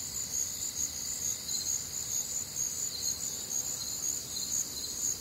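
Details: Crickets chirping on a warm, humid Midwestern summer night; shrill high trills in steady bands with gentle rhythmic swells in loudness, and a quiet low rumble beneath.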